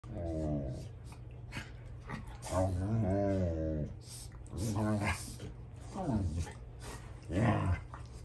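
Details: Rottweilers indoors, older dogs arguing with a young male over a toy and showing him he is not the boss: drawn-out, moaning grumbles in four bursts, rising and falling in pitch, over a steady low hum.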